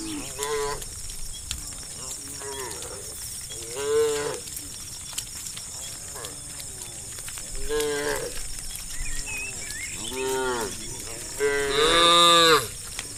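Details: Tame cows herded toward their farm pen at evening, a run of repeated moos roughly every two seconds, arched harmonic calls, the loudest and highest near the end, over constant high-pitched insect-like hiss.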